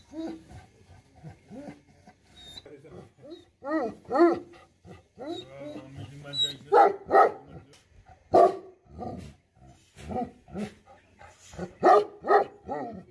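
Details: Bhote Kukur, the Tibetan Mastiff, sounding off angrily: scattered deep barks building into loud clustered volleys, with gaps and softer grumbling sounds between bouts.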